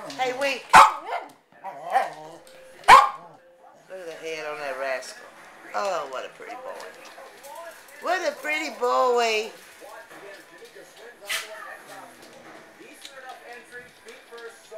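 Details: Seven-week-old Dandie Dinmont Terrier puppies give a few sharp barks early on, then bursts of wavering, high whines and yelps that rise and fall, while a person talks softly to them.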